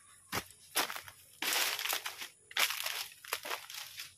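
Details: Soft crinkling and crunching noises come in short bursts in a small quiet room, with no animal voice heard.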